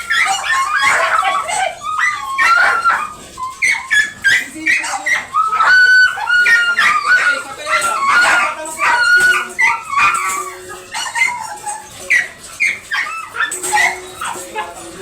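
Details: Dobermann dog during a stud service at Bunuan, Dagupan City, Pangasinan, giving a run of high, wavering whimpers and short yips in quick succession over fifteen seconds, with people talking throughout.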